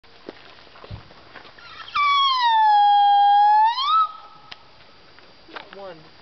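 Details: Wolf at the Colorado Wolf and Wildlife Center, recorded in the middle of the day: one sustained howl of about two seconds, sliding down then rising at the end, set between quiet stretches with faint background voices.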